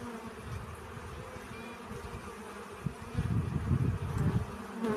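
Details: Bees collecting pollen: a steady low droning buzz that swells louder after about three seconds, with rumbling low-frequency noise underneath.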